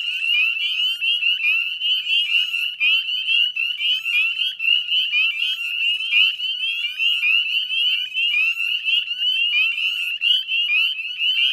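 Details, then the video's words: Dense chorus of northern spring peepers around the salt marsh at West Chezzetcook, Nova Scotia, Canada, at 9:08 p.m. dusk on 18 May 2020; high, sweeping peeps from many callers merge into a continuous piercing ring. "Northern Spring Peeper Chorus"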